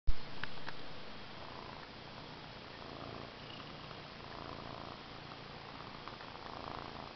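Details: A domestic cat purring: a steady low rumble through the whole clip, with a louder thump at the start and soft breathy pulses, indoors.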